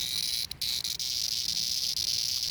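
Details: Jarfly (cicada) held in hand in Appalachia in early summer, calling loudly: a steady, shrill, high buzzing drone that breaks off briefly once near the start and then carries on unbroken.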